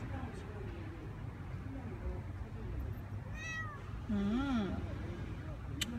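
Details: Ao, a seven-month-old neutered Ragdoll cat that loves being outdoors, roams a newly occupied apartment complex in South Korea; a short high cry, then a drawn-out wavering meow, over a quiet outdoor hum with faint human voices.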